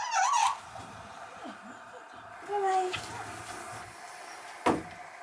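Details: Rock, a stray kitten taken in on a rainy night and now a house cat, said to cry from loneliness when the woman of the house leaves; a short high wavering meow opens, then a fainter, lower drawn-out mew indoors.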